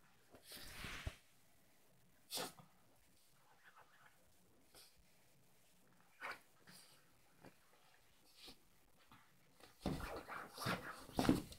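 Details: Yorkie Ronnie snorting while playing in his doggy bed and tugging at the pillow; short breathy snorts spaced a few seconds apart, ending in a burst of louder rough snorting, with faint rustling in a small room.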